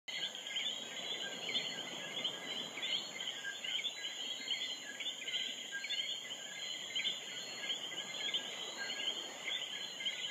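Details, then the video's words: A coqui frog chorus at night in Vieques, Puerto Rico, where they call from sunset to sunrise: many high two-note chirps overlapping over a steady insect hiss. "Vieques, Puerto Rico Coqui Frog"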